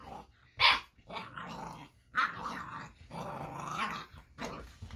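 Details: Baron, an eight-week-old Boxer puppy, growls at an interactive robot toy. Rough, breathy growls come in uneven bursts with short pauses over five seconds.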